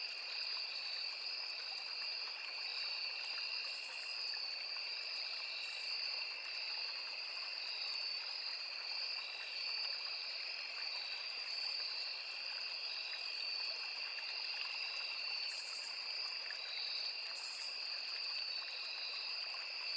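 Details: Crickets calling in a forest near a small river, many insects merging into one level, high, pulsing trill on two pitches, with a faint flowing-water wash and a few soft ticks.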